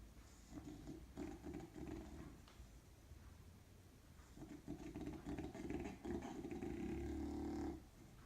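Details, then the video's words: Keston, a dog napping on a sheepskin rug, snores loudly: low, rasping, rumbling bursts that come in irregular rounds, ending in a long, sustained growl-like snore before a brief quiet. "Cute Dog's Creepy Snore"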